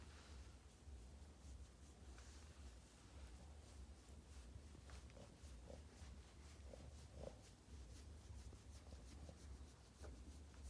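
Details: Low, rhythmic snoring from Yoda the Boston Terrier, a spoiled little pet dog, with short nasal grunts popping up near the middle and end, about one breath every second, over a constant low drone.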